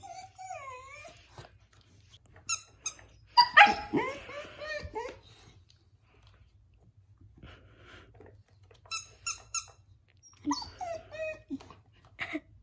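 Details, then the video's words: Siberian Husky puppy crying at a baby toy indoors: wavering, falling whines open the recording, then a longer drawn-out cry and short whimpers, mixed with sharp squeaks from the toy. "Husky Puppy crying to the Baby Toy"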